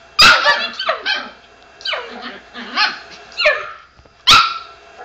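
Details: Pet Chihuahua barks at the sound of another dog barking on screen, giving a loud sharp bark, a run of rougher growly yaps, then another sharp bark at the end.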